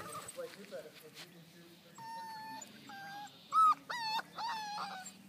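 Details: Five-week-old Belgian Malinois puppies from one litter at play with a flirt pole, giving drawn-out level whines followed by a loud sharp yelp and several arched, squealing whimpers; faint low hum underneath.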